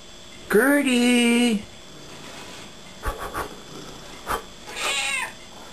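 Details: Pet cat, an elderly female house cat, gives one loud drawn-out meow with a rising then level tone, followed by softer short sounds and a brief second meow near the end, indoors.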